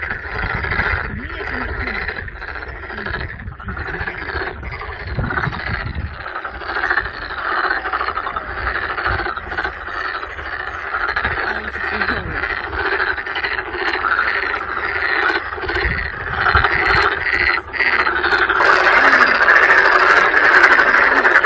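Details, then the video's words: Loud massed toad chorus at Sangdang Mountain Fortress, Cheongju, South Korea, among crowds of toads and tadpoles; rapid overlapping croaks pulse steadily throughout and swell louder toward the end. "시끌시끌 두꺼비 합창"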